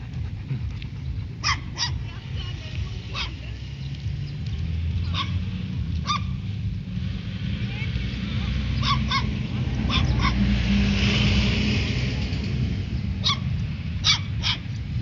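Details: Stray puppies barking at a Labrador named Fuzzy: sharp, high yips and barks come at irregular intervals, sometimes in quick pairs, over a steady low rumble and background noise.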